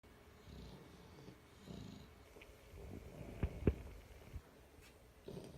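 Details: Sleeping dogs snoring around a person working in an office: soft, low rumbling breaths roughly once a second, with a few sharp clicks and small knocks in the room.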